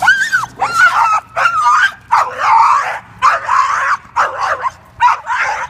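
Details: Leash-reactive three-year-old male American Staffordshire Terrier, a red nose pit bull, reacting on leash to two approaching dogs during board-and-train rehabilitation; loud harsh barks mixed with whining yelps come in bursts roughly every half second.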